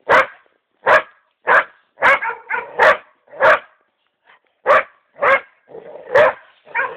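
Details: A female dog gives a fast, uneven series of sharp, mid-pitched barks, her automatic reaction on being shown a mouflon's head wrapped in a blanket.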